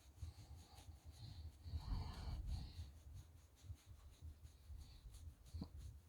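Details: Shiba Inu Chichi, a friendly dog kept near the Kanahama branch school in Aomori City, Aomori, being petted while shedding fur is combed out. It gives one breathy, snorting burst midway, over low rumble and rustling handling noise.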